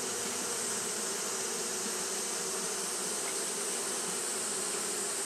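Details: Hot-day fanning by Japanese honey bees: an even, constant buzzing hum with a bright high-pitched wash over it, holding level without breaks.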